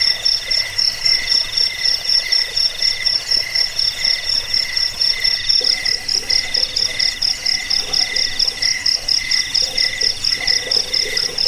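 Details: Insect chorus of crickets, used to scare rats, as a sleep aid and for teaching birds; dense high buzzy pulses repeating quickly, several overlapping rhythms, with muffled lower croak-like pulses in the second half.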